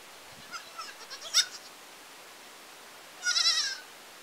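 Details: Goat in a village, giving two short bleats: a quavering, stuttered call near the start and a wavering, vibrato bleat about two seconds later, with quiet background between.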